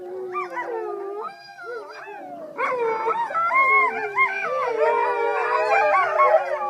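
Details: Rescued wolves with some dog ancestry at a sanctuary in February 2013 howling together: a few rising, wavering howls, then a dense chorus of overlapping howls with yips and warbling tones.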